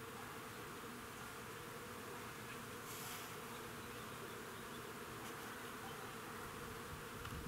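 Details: Many bees foraging in a front-yard crab-apple tree; continuous even droning buzz throughout, a soft low hum with no pauses, and a faint brief hiss near the three-second mark.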